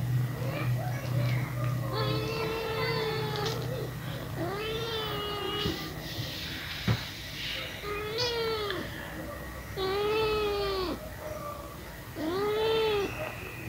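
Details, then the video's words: Pet cat at kitten feeding time, a series of drawn-out arched meows repeated about every two seconds, some with a wavering tail, over a constant low hum and faint background voices. "My pet Cat | kitten feeding"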